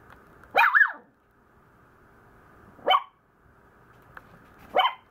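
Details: Maltese puppy, much given to complaining, lets out a long wavering two-part whine-bark, then after a pause two short high barks about two seconds apart, against a faint steady hum.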